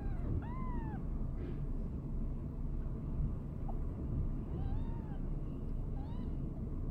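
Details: Mother cat Boo's five-day-old kittens, Kitten Round Up 2019: a clear arched mew at the start, then quieter short mews spaced a second or so apart, with constant low rumbling underneath.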